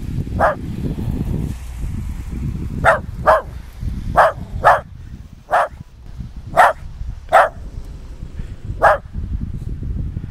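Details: West Highland White Terrier Nix barking in snow: about ten short, bright barks, some doubled, spaced unevenly over a steady low rushing background.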